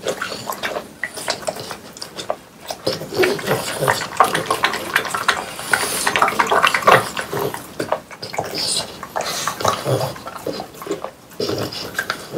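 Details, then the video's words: French Bulldogs, three of them, munch watermelon at home in summer. The chewing is juicy and dense, with rapid smacks, slurps and crunches about three per second, briefly pausing before resuming wet gnawing. "강아지 먹방 ASMR 여름이 가기 전에 수박을 먹어보았어요"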